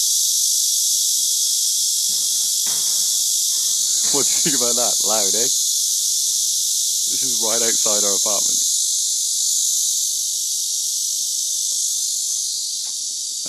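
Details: Cicadas in Paju drone in a loud, unbroken, high-pitched buzzing chorus after a wait for them to start up, with a man speaking briefly.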